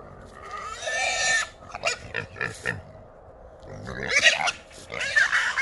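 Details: Wild hogs, three small boars caught in a small trap in Texas at night, giving loud harsh squeals and grunting bursts, broken and overlapping, with short pauses between outbursts.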